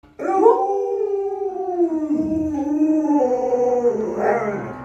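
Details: Pet Alaskan Malamute Luoluo howling beside its owner, who is ill in bed: a long, warbling, wavering howl with several bending notes, ending on a brighter rising phrase.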